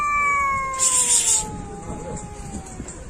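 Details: Long, slowly falling meow from a domestic cat continuing over three seconds, briefly overlapped by a sharp hissing burst near the start, then trailing off against faint background noise.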